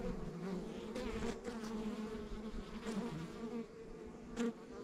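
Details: Honey bees buzzing around a backyard beehive in the countryside; a constant low drone with wavering tones and a few sharp clicks or knocks near the hive.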